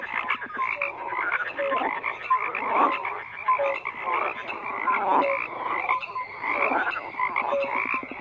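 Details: Croaking frogs in a thick chorus, swelling and fading in loudness, with rapid pulsed croaks and scattered short whistle-like notes.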